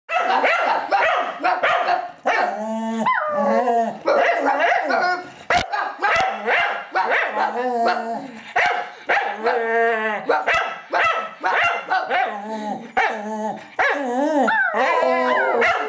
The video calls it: Mad Singing Cocker Spaniel